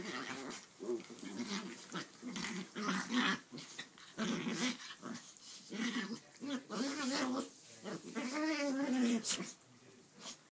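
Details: Two small dogs of 6.5 and 13.5 pounds wrestle and play-fight on a bed indoors while a cat sleeps through it. Bursts of rough, throaty growls come nearly nonstop, with a wavering, whiny growl near the end and a little human speech.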